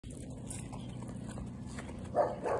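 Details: A West Highland White Terrier met on an evening walk gives two quick, sharp barks near the end, then runs after another dog, over a steady low outdoor rumble.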